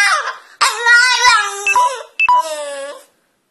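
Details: French Bulldog trying to get onto a couch, loud sustained moaning whines with a clear, voice-like tone, one long wavering cry followed after a short break by a second, shorter, falling cry, recorded close in a room.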